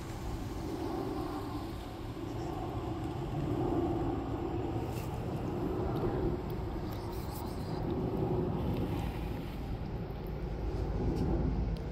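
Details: Steady low rumble of passing vehicles fills the recording, with no animal voice heard.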